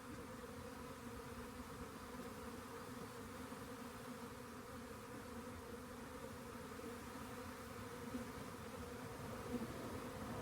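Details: Swarm of honey bees found near a rain gauge, later collected: a steady, dense droning hum in layered low bands, even in loudness for the full ten seconds, with no other clear sounds.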